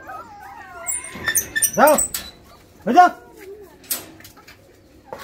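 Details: Rottweiler puppies, frantic for food at feeding time, give high, arching whines and yelps while a person talks nearby.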